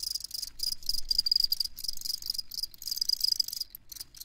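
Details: Crickets chirping, used for sleep listening: dense, rapid high-pitched pulsed chirps overlapping in a steady chorus, bursts repeating several times a second, with faint low rumble beneath and no other clear sounds.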